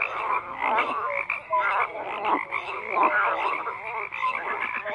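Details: Continuous frog chorus of croaking, buzzy pulsed calls blending into a steady wall of sound, occasional short chirping notes standing out.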